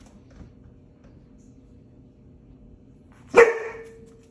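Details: Golden Retriever, a 5-month-old female, happy to see her sister after a week away: a long quiet stretch, then one sharp, loud bark near the end with a short ringing tail.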